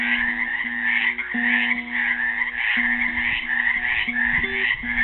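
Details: Frogs trapped in a pool at Helix, Oregon, on Earth Day 2016, keep up a steady chorus of fast, pulsed, rasping croaks while a classical guitar plays an improvised melody of plucked notes underneath.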